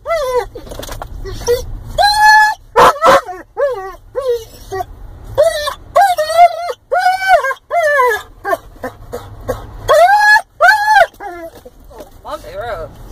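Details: Weimaraner mix dog, overly excited on the road to the cabin and wanting out, whimpers and whines in high, arching, harmonic tones, in bursts of rising-then-falling cries between pauses, with a person talking and low vehicle rumble.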